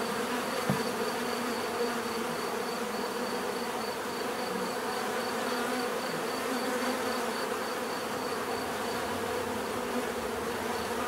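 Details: Unbroken buzzing hum of many bees, a full droning texture with a soft click near the start and a faint steady high whine overhead.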